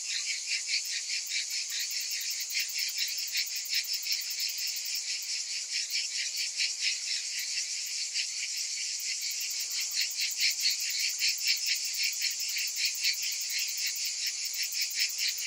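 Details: A dense chorus of cicadas shrilling steadily on a hot summer afternoon, a high buzzy drone with fast rhythmic pulses.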